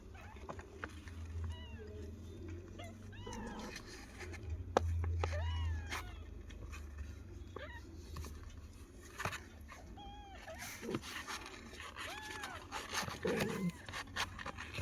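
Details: Several kittens call around their mother cat as she settles to give them milk. Many short, arched, high meows tumble over one another, with rustling, handling noises, and a person talking to them in Tamil.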